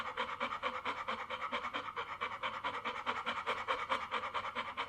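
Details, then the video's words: Quick rhythmic dog panting, roughly two and a quarter breaths each second, a breathy hiss pulsing evenly in and out. "Panting dog/ Dyszenie psa/ Hechelnder Hund"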